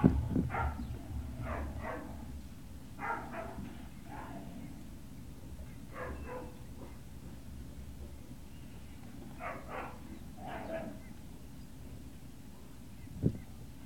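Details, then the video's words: Great Dane puppies recorded at Puppy Hill, 18 November 2018, early afternoon: clusters of short harmonic whimpers and yips come in bursts a few seconds apart over a steady low hum, ending with a sharp knock. "Great Danes Puppy Hill"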